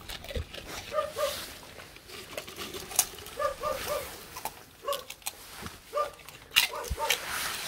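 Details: Two Korean Jindo dogs, Geumdong and his daughter Janggeum, wait at the door for dried pollack skin treats in a rural village. Paired, squeaky yelps repeat roughly every second over rustling and background noise.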